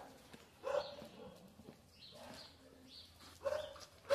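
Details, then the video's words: Dog barking in short harmonic bursts at about 0.7 and 3.5 seconds, with quieter yelping between and a low hum underneath. "Zakia with dogs"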